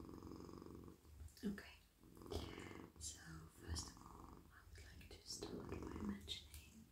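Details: Domestic male cat purring while melting in a lap as his head, neck and body are stroked indoors; a steady low rumbling purr runs throughout, overlaid by soft brushing and rustling of a hand moving through fur.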